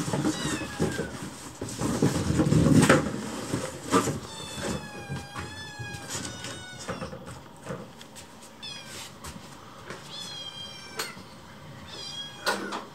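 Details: Hungry rescued kittens surround their keeper during meal preparation, urging food; a rapid series of high, rising-and-falling meows from several kittens overlaps, with early clatter and thuds of kitchen activity.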